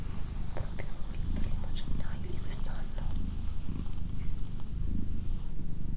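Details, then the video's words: Doroti, a female pet cat, gives a dense, low rumbling purr with less clearly spaced pulses, while a hushed whispering voice and small handling noises sit faintly on top. "Cat Purring"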